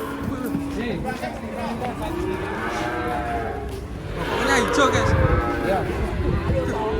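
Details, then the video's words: Agitated cattle coming down off a truck: a string of arched, harmonic moos in quick succession, with a louder, rougher bellow swelling toward the end, over a steady background murmur of people. "KUMPULAN SAPI NGAMUK TURUN DARI TRUK"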